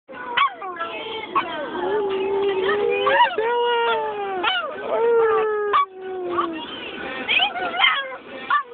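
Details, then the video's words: Chihuahua singing inside a car, a run of wavering tonal howls that slide up and down in pitch, some long drawn notes and short yelping breaks between them. "Chihuahua singing in car!"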